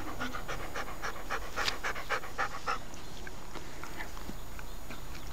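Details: Rapid panting from Rocky, a pet Siberian Husky, loud for about three seconds and then fading away under low background music.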